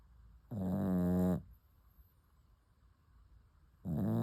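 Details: Deep, raspy snores from a puppy asleep, one rough buzzing breath lasting almost a second, then quiet, and the next snore starting about three seconds later.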